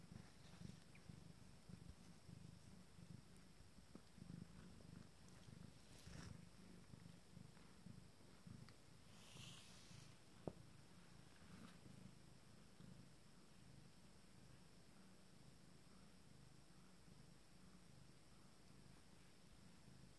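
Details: Abyssinian cat purring during intimate grooming of its first litter, kittens 19 days old: a soft continuous low rumble throughout, with faint rustling and a brief higher scratch near the middle.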